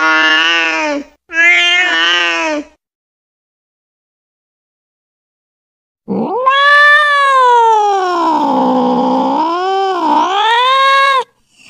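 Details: Domestic cat calling a companion, a lure sound: two quick meows, a four-second silence, then a long, loud yowl rising sharply, wavering down and up over about five seconds.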